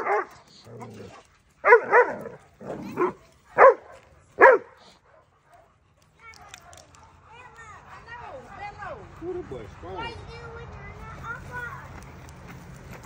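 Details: Doberman Pinschers, a male aged two and a reactive eight-month-old female, bark offensively in training: sharp, loud barks in an uneven series over the first seconds, then softer whines and yelps, with human speech in the background.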